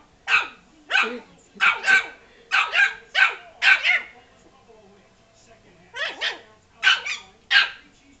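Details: Yorkshire Terrier named Frankie, mad at a ball that rolled into him, lets out a fast run of shrill barks, often in pairs, pauses briefly, then resumes with four more; a person urges him to get it.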